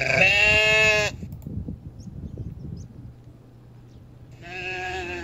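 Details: Goat bleating: a loud, harmonic, wavering bleat for about one second, a pause of low rumbling background, then a second bleat starting near the end.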